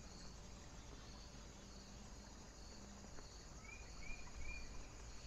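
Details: Night cricket in foggy, windy weather, giving thin high chirps repeated roughly every half second over steady wind noise; a short run of rising whistled notes from another creature near the end.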